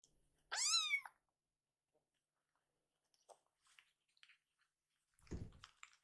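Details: Hungry rescued kitten, one of a brother and sister pair waiting for bottle milk indoors, lets out one clear, high, arching meow lasting about half a second, followed by faint clicks and a soft low thump.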